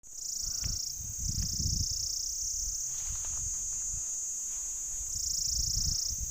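A Pycna repanda cicada produces its mating call, an intense, continuous high hiss that wavers slightly and briefly softens before swelling again. Low thumps and rumbles of wind or handling sit underneath.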